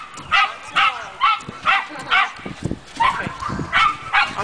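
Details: Pet dog barking at a car's windshield wipers: short harsh barks repeated about twice a second in a steady run, each bark a brief rough burst, with faint background rumble.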